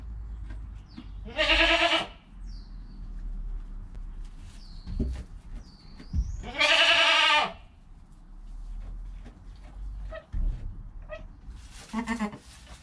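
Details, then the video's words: Goat kid bleating within an hour of birth, its mother calm nearby: two strong, wavering, harmonic bleats about five seconds apart, then a fainter one at the end, with thin high chirps and soft rustling between. "Baby Goat - One Hour Sound and Video"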